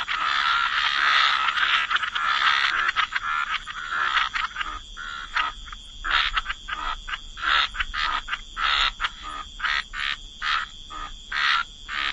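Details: Waterside frogs croaking in chorus: a loud dense burst of overlapping croaks at first, then spaced, sharp, raspy single croaks roughly every half second, with a steady faint high whine in the background.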